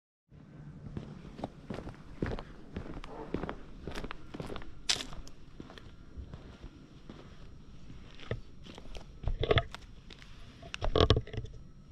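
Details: Footsteps and rustling outdoors with occasional knocks and faint voices, and no animal calls.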